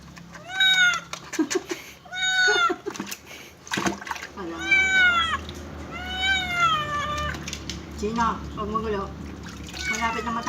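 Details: Kitten during its first bath, meowing loudly and repeatedly in drawn-out, wavering cries, with human speech and the sound of water in between.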